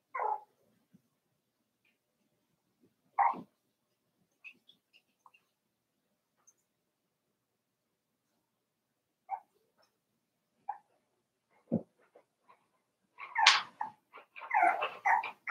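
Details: Daisy's Cavalier King Charles Spaniel puppies, four weeks old, in an indoor puppy pen: brief pitched yelps and whimpers separated by long quiet gaps, ending in a stretch of busy rustling and scuffling.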